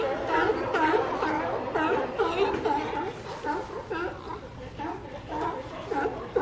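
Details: Many sea lions bark and moan at once, producing a constant, wavering, hoarse chorus with bursts of louder barks about twice a second.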